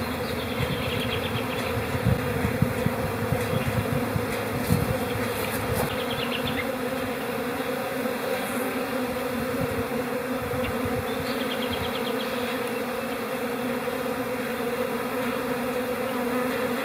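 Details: Honey bee colony in a calm spring state in April, giving a continuous droning hum with a steady tone, scattered close wingbeat buzzes and light clicking throughout.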